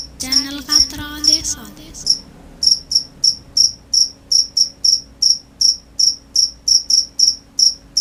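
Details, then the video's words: Crickets chirping at night. A brief tonal, voice-like sound overlaps the first two seconds, then clear, shrill chirps continue at roughly two per second, slightly uneven in spacing. "The sound of crickets at night"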